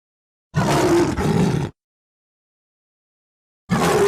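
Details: Lion giving a gruff roar of just over a second with a slight break in the middle, followed after a pause by the start of another rough roar.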